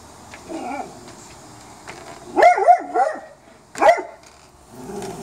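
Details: A pet dog in a backyard at late night, going crazy after finding a raccoon that jumped off the deck and ran away; a few scattered barks, some quieter whining yelps between louder bursts.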